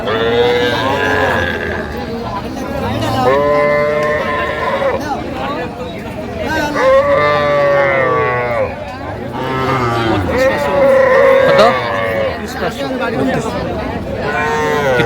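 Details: Sahiwal breed bull calves being bought by a Gazipur farmer in Bangladesh, 8/5/25: a run of repeated lowing moos, several rising then falling and some wavering, coming every few seconds over steady background talk.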